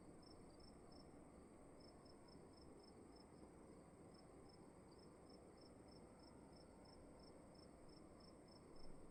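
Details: Indoors at night in a dark room, a cricket chirps in rapid, even, high pulses after a short early pause, continuing steadily through the quiet over a low, steady background hum.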